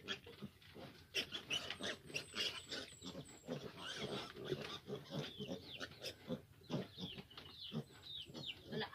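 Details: Fifteen piglets, now grown large, crowd a sow that struggles to nurse them. Dense overlapping grunts and squeals pulse throughout, with high, sharply falling squeaks above and human voices in the background.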